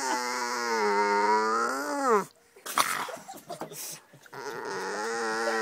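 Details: Maja, a pet dog asking for attention at the dinner table on 9 July 2011, gives a long, steady, harmonic whine that bends upward before breaking off, then resumes after a short gap filled with clatter and a brief human voice.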